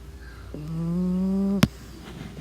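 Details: A single drawn-out snore from a sleeping pug, a low droning tone held for about a second that rises slightly, cut off by a sharp click, then soft breathing noise.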